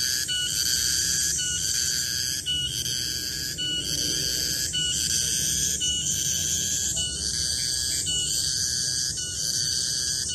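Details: Garengpung cicada singing in a garden at midday: a loud, high, shrill drone with steady tonal bands, broken by short dips about once a second, plus a faint thin whistle overhead near the end.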